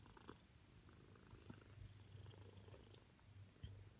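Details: Female Siamese cat purring loudly while wanting attention; a steady, deep, rumbling purr runs through the whole stretch with even low pulsing and a few faint soft knocks.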